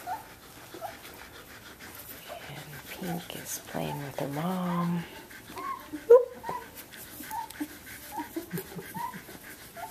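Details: Seventeen-day-old Samoyed puppies from Athena's litter playing indoors: short, high squeaky whimpers and little rising yelps scattered through the second half, with a woman talking softly over a harmonic, drawn-out sound near the middle and some panting.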